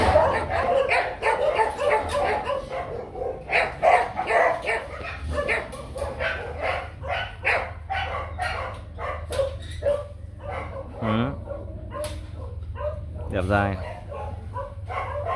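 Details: Male Rottweiler Nano, a young kennel stud, barks hard while looking for his ball. A dense run of sharp barks fills the first ten seconds. Quieter yelps follow, then two drawn-out whines that swoop up and down.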